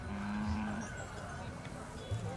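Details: Khillari cattle at the Horti cattle fair in 2019, one steady low moo held for under a second over a busy background of crowd chatter and vehicle noise.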